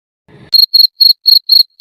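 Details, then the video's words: Cricket chirping at night to attract a mate, an adaptation for reproduction in the dark; a brief run of five high, pure, pulsed chirps, about four per second, after a faint rustle. "Jangkrik berbunyi di malam hari untuk menarik pasangan. Suara ini adaptasi untuk reproduksi"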